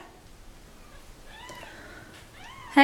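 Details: Mother cat dumped at a turnpike with her kittens, calling as she carries them back into her box: faint rising-falling meows around 1.5 and 2.4 seconds, a person talking, and a loud bump at the end.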